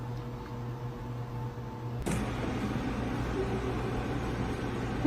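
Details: A steady low engine hum with faint tonal whine runs throughout; a sharp thump at two seconds is followed by louder broadband rumble and hiss.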